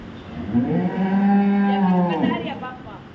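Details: Cow at a dairy farm in Samora village, Karnal, Haryana, India, giving one long, steady, low harmonic moo lasting about two seconds and ending with a slight upward turn; quiet background, speech following.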